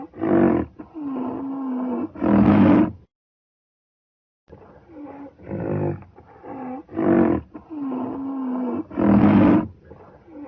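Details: Rhinoceros calling in repeated cycles: short harsh roaring blasts alternate with drawn-out, lower moaning tones that waver slightly, a pause of over a second between two sequences, the loud bursts recurring roughly every two seconds.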